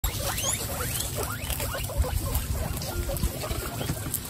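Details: Twenty-six female guinea pigs at a Christmas feast, giving quick rising squeaky calls in a flurry, several overlapping, over constant crunching and rustling of feeding.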